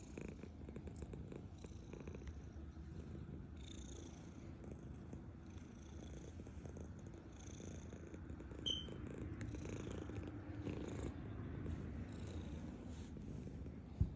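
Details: Purring black house cat eating its food indoors; a continuous low vibrating purr with small mouth clicks and a brief sharp tick near the end.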